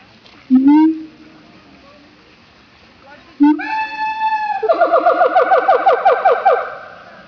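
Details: Captive siamangs at Opole Zoo, Poland, in a noisy bout. Two rising, swelling hoots a few seconds apart lead into a fast, accelerating run of ringing barks that build to a loud climax.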